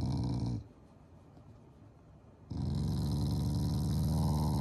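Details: Shiba Inu growling during its morning routine, an affectionate, unangry expression toward its owners; loud, low, rough rumbling growls in two long stretches separated by a quiet two-second pause.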